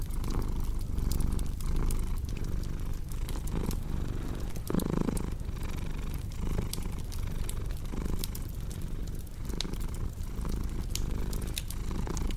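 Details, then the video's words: Domestic cat purring in a steady low rumble that swells and fades about every 0.7 seconds, set against the crackle and pop of a cozy fireplace. "Purring Cat with Cozy Crackling Fireplace Sound"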